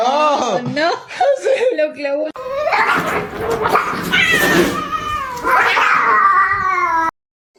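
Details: A domestic cat that is acting scared gives drawn-out, wavering yowls that rise and fall in pitch over several seconds. Loud human speech, screaming and laughter overlap the cries.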